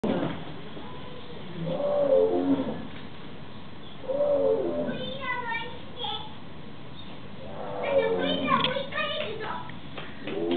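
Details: A Sumatran tiger at Ueno Zoo in Tokyo gives deep, moaning roars every few seconds while people chatter nearby.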